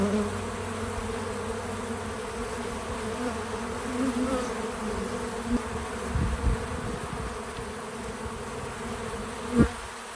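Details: Bees visiting a feeder outdoors on a small farm, buzzing steadily in a low, droning hum with layered tones, a few louder passes near the end, no music or talking.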